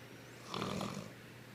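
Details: Female Boston Terrier snoring in her sleep indoors: one short, snorting breath that rises and falls quickly, with a rough, nasal rasp over a steady low background hum.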